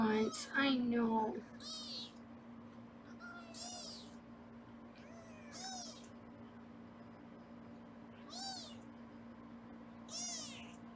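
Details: Foster kittens on a live kitten cam in Los Angeles during weighing: a woman's voice at the start, then thin, high meows repeated roughly every two seconds against a steady electrical hum.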